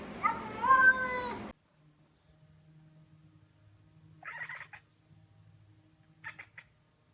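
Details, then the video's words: Domestic cat making an odd, drawn-out meow with a wavering, slightly falling tone lasting about a second and a half, followed by near silence with two faint, brief chirpy sounds later on. "Weird Cat Noises"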